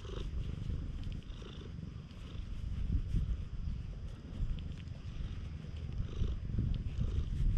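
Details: Tanuki-like stray cat at a rain-dampened campsite, extremely affectionate, recorded with a GoPro; deep continuous purring swells and fades in loudness, soft handling rustles mixed in.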